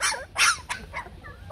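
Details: Shaggy Bac Ha dog, an indigenous Vietnamese breed raised at a kennel for conservation and selection, gives a sharp, high bark followed by softer yelps and whimpering sounds over a muffled background.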